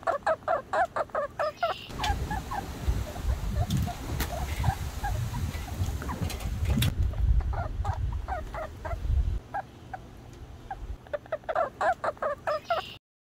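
A young red squirrel calls in quick runs of short, squeaky, slightly nasal notes, several each second. A stretch of rumbling, rustling handling noise partly covers the calls midway, and a person speaks briefly.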